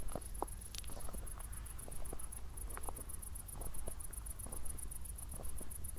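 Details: A cricket chirps in a steady, rapid high-pitched pulse during a night walk just after a thunderstorm in Zwettl, Austria, over low city rumble and footsteps.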